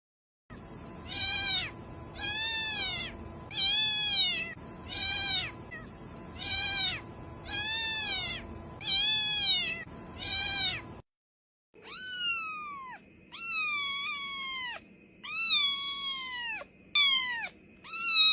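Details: Domestic cat meows played to attract cats: a run of eight high, arched kitten-like mews about every 1.3 seconds, a brief pause, then five sharper, falling meows with a faint steady hum underneath.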